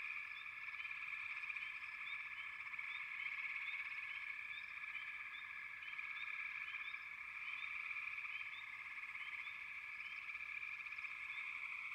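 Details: A massed chorus of frogs keeps up a steady, buzzing wall of sound, with small high-pitched chirps repeated throughout.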